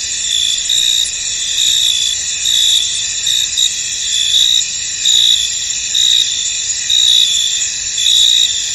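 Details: Field crickets heard in misty conditions, giving a constant high ringing drone with louder chirp bursts recurring a little more than once a second at an irregular pace.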